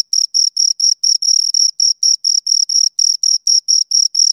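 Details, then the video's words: A pair of crickets give a fast run of short, high, trilled chirps, about eight pulses a second, clean and evenly spaced against total quiet. "Two Crickets Chirp Sounds"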